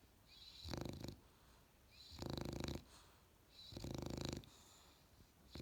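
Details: Australian Bulldog puppy asleep, snoring in three slow, breathy, rasping bursts, each lasting about half a second and coming roughly every one and a half seconds, in a quiet room.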